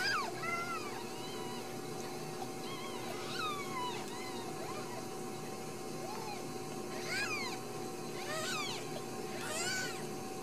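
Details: Ragdoll kittens born and raised in a home cattery in central Kansas, several overlapping thin high mews scattered through, some rising and falling, against a steady background hum.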